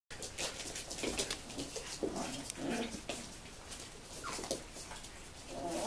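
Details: Seven-week-old puppies of a 2015 litter give short, thin whines and small yelps, with one falling squeal near the end, among steady clicking and rustling indoor noise.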